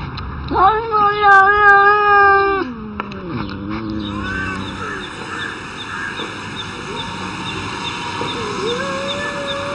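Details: Cats arguing; a long drawn-out yowl for about two seconds, then a descending moan, followed by quieter intermittent wails beneath a steady electronic hum.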